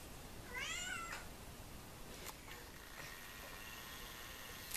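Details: Pair of 16-year-old domestic cats; one distinct, bright meow lasting about half a second, arching up then down, followed by soft knocks and a quiet room.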